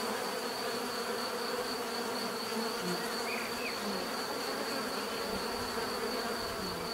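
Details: A swarm of bees hums in one unbroken, layered drone; a faint brief rising whistle appears midway, and a constant thin high tone runs beneath the buzzing throughout.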